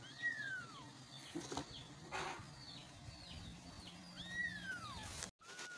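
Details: Kittens meowing for their mother, two clear downward-sweeping high meows a few seconds apart, fainter meows between them, and brief rustling and handling noises.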